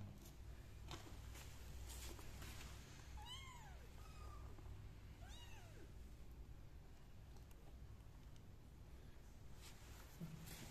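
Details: Kittens crawling out of pots while their mother cat licks them; two high, arched meows around three and five seconds over steady low background hum.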